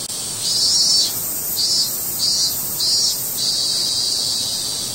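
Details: A cicada's high, continuous buzzing cry, swelling into five regular pulsed bursts roughly every 0.7 seconds over a constant shrill drone.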